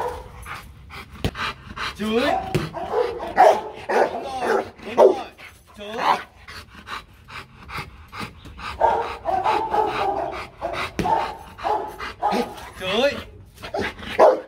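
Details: Marvin, a Rottweiler, is being taught for fun to bark on command. Short, sharp barks come in scattered bursts between stretches of a trainer's spoken commands, which take up much of the recording.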